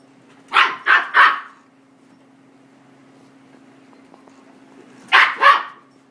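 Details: Indoors, a five-month-old female miniature goldendoodle barks at a vacuum cleaner: a fast run of three sharp barks, a four-second pause, then two more, with a faint steady hum underneath.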